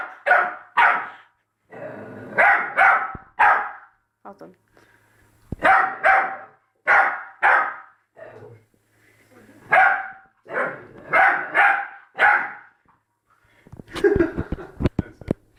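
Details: Young Labrador Retriever puppy barking at its reflection, loud yapping barks in clusters of two to four separated by brief silences, with faint scuffling and a few clicks near the end.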